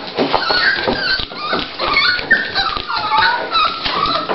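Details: Dolly, a female Toy Pinscher, at the start of preparing to give birth to puppies, whimpers in repeated high, thin whines that rise and fall, several in quick succession, with soft rustling and clicks in between.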